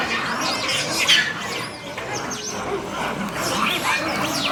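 Monkeys scream and squeal harshly over one another in a noisy, chaotic fight.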